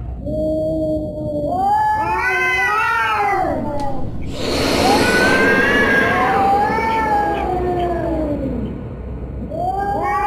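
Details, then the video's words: Cat making scary, long, wailing meows that bend up and down in pitch, several overlapping yowls in sequence, with a brief noisy hiss-like burst in the middle and a constant low background hum. "Scary cat sounds"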